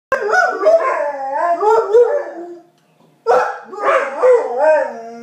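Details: Two dogs howling back and forth as if talking to each other: wavering, sliding howls with rich harmonics, overlapping voices, a brief pause near three seconds, then a second bout of rising and falling howls.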